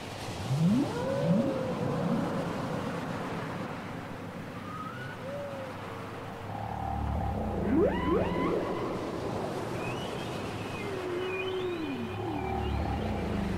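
A whale sings a varied sequence of rising sweeps, moaning tones and high upswept squeals.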